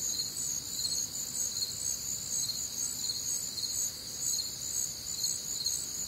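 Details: Night chorus of crickets recorded on a warm, humid Midwestern summer night: overlapping high-pitched trilling bands pulsing about twice a second, continuous throughout, over a soft low background hum.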